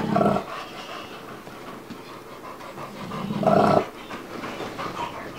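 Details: Bubba the two-year-old American Bulldog and five-month-old Dogue de Bordeaux Ruby playing together; two short, loud huffing growl bursts, one at the start and one near three and a half seconds, with quieter breathing between.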